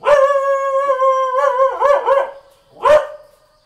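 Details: Ordinary Thai house dog sustaining a long, steady howling note for nearly two seconds, breaking into wavering yelps, then a single sharp bark after a brief pause.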